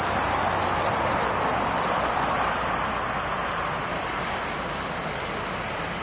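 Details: A male cicada gives a loud, steady, high-pitched buzz to attract females, droning on without a break.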